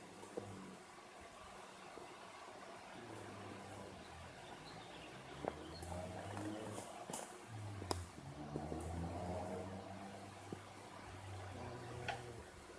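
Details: A cat sound asleep, snoring softly: low, rumbling breaths that swell and fade roughly every one to two seconds, with a few faint clicks and rustles in a quiet room.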